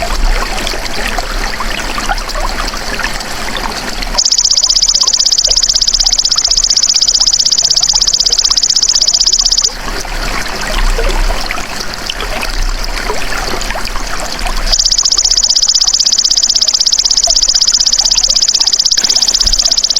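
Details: Golden grasshopper: after four seconds of trickling outdoor noise, a shrill buzzing trill of fast, even pulses runs for over five seconds. Rustling background returns, then the buzz starts again for the final five seconds.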